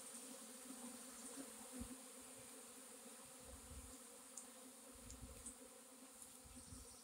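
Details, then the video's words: Swarming honey bees, April 26, 2021, giving a continuous low even hum with a fainter overtone above it, plus occasional soft ticks and low rumbles throughout. "Honey bee swarm"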